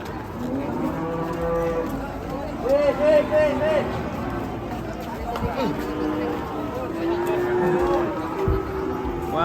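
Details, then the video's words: Agitated cattle, one described as stubborn and running off, give overlapping moos and shorter wavering calls amid background commotion and bumps. A man's voice follows. "KUMPULAN SAPI NGAMUK"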